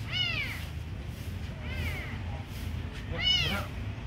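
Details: Kitten being fed gives three arched meows, the first and last loud and bright, the middle one softer and shorter, roughly a second and a half apart, against a steady low background hum.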